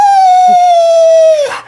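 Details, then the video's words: Mya, a female Australian Shepherd indoors, lets out a long, loud, steady whine that slowly falls in pitch before breaking off, crying after her owner jokingly threatens to steal her tongue. "Dog Gets Hysterical When Owner Tries To Steal Her Tongue"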